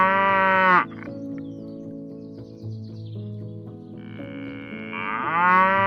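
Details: Cow lowing: a strong harmonic moo cut off before one second, a quieter stretch carried by background music, then another moo rising in pitch at the end.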